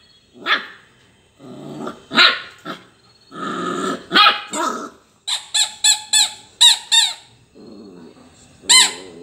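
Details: Labrador Retriever puppy playing with toys: a run of short rough barks and growls over the first five seconds, then a rapid series of high squeaks, and one final squeak.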